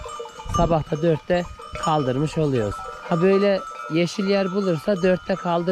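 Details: Separated from their mothers, Akkaraman lambs keep up a busy chorus of short and medium bleats, shaky and wavering, several callers overlapping and answering each other in quick succession.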